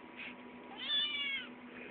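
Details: An 8-week-old Maine Coon kitten, hungry and wanting to be fed, gives a high drawn-out meow that rises and falls; the owner hears it as "yea" and "now".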